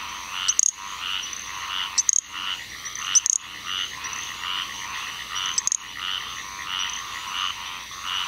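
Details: Little grass frog calling in Onslow County, North Carolina, on 7 June 2015: thin, very high-pitched insect-like chirps at irregular intervals over a dense, pulsing chorus of Squirrel Treefrogs calling in the background.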